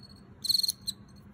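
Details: Male Teleogryllus field cricket, wild-caught, possibly T. occipitalis, singing in an earthenware jar: one shrill pulsed chirp of several quick clicks, followed by a brief single-pulse trailing note, against a quiet background.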